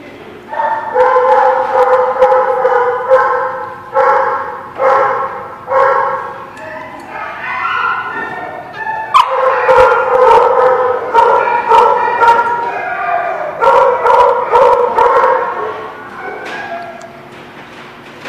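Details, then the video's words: Dog barking at The Barking Lot, recorded 24 March 2017: a long run of fairly high, ringing barks with clear overtones, coming about twice a second in uneven bursts, briefly pausing, then resuming more densely before fading. "The Barking Lot"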